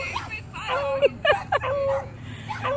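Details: Tonka, a male Alaskan Malamute on his second birthday, reacting to other dogs at a dog park: drawn-out, bending whine-howl tones with short yips between, mixed with a person's talk and laughter.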